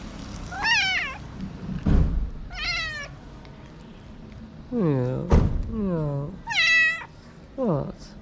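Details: [1, 'yes', 'meow', 'A hungry homeless street cat in Morocco meows while sniffing the camera. It gives about six drawn-out, arching meows, some high and thin, others lower and fuller, separated by short pauses. A person speaks softly nearby, with a thump near the middle.']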